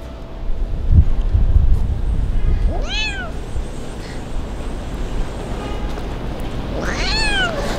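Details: Crying abandoned kitten living on the street for the first time, on a cold and rainy day: low thumps at first, then two clear meows about four seconds apart, each rising then gliding downward, over steady background hum.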